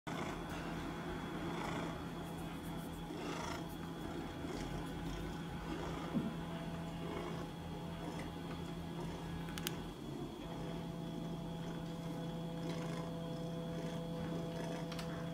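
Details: Red Maine Coon cat, eight months old, at a cattery in Tokyo, purring in a steady, continuous low rumble throughout, with faint room noise and a couple of brief clicks.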